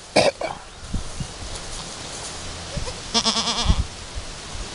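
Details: Chamois-coloured Alpine goat Chiara and her newborn kid, two hours after her first kidding, still working out nursing: a brief sharp cry at the start, then one tremulous harmonic bleat later, with soft thuds and low hum.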